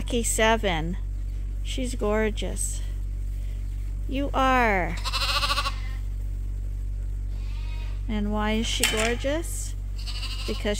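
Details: Lambs at Ewetopia Farms, topped up twice daily on a hand-made bottle feeder though still on their mothers, bleat repeatedly: short quavering calls, some falling in pitch, spaced a second or two apart over a constant low hum.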